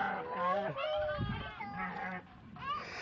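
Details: Domestic sheep being let out of their pen, giving wavering, nasal bleats about half a second long, several in quick succession, with people talking close by.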